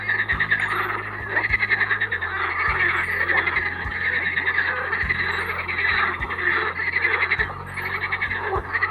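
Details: A busy chorus of edible frogs croaking at Triolago from far out on the water; steady, grating, overlapping croaks without pause, over a low rumble in the background.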